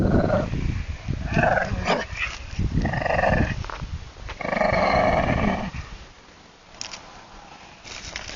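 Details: A Shih Tzu at play with a Golden Retriever gives deep, rumbling growls in several bursts, the longest lasting over a second, before the sound drops to quiet rustling near the end.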